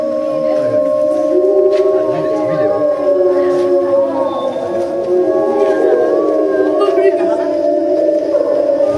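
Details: Group of timber wolves at Tama Zoological Park, Japan, September 2015, all starting to howl at once after feeding: layered, drawn-out howls holding steady pitches with wavering, rising and falling voices woven through a continuous chorus.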